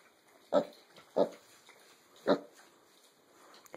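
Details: Six-and-a-half-week-old mini piglets, born the same litter, eating their last breakfast together as a family: short low grunts at irregular intervals, three spaced about a second apart, then another at the end, over quiet room background.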